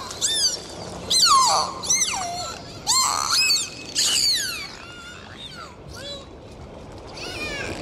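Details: Underwater dolphins produce bursts of harmonic-rich whistles, some arching and others falling with rough buzzy edges, clustered in the first four seconds before quieter scattered calls over soft water noise.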